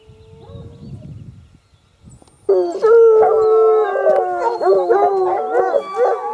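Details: Sparks hounds baying together: after faint low rumbling and quiet, several dogs break into loud overlapping howls from about 2.5 seconds, long wavering tones with rising and falling bends, sustained to the end.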